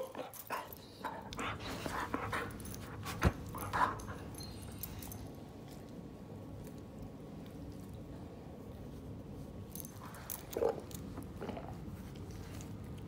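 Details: German Shepherd indoors making faint, scattered whimpers and short whines over a steady low hum, with a few soft knocks early on, a quiet stretch mid-way, then two more brief whines near the end.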